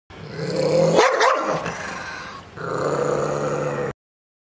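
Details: A dog reacting to weird sounds gives a drawn-out throaty growl that breaks into a brief wavering whine, then resumes low, harmonic grumbling until it stops.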